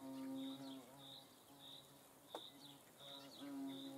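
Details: A hornet in the Eifel hums in a low, wavering buzz that swells and dips over four seconds, with a high-pitched chirping insect or bird calling in regular bursts behind it.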